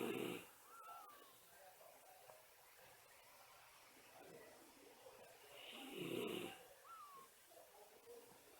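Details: Miniature Schnauzer asleep at midday, two raspy whistling snore breaths about six seconds apart with soft quiet breathing between them, indoors.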